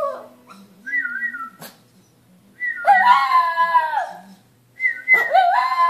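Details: Shih Tzu howling early on a Saturday morning while a husband whistles: soft low whistled notes and a short high whistle, then a long wavering howl and the start of another.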